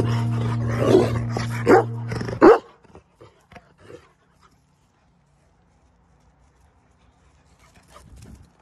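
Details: Onyx, a black American Labrador, gives a rough, throaty growling vocalisation for about two and a half seconds ending in a sharp bark, followed by faint scattered sounds and quiet.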